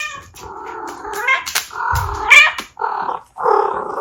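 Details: Abyssinian cat mother talking to her kittens indoors: a run of harmonic, wavering meows and chirrups, some rising at the end, in quick irregular succession with brief pauses between the last two calls.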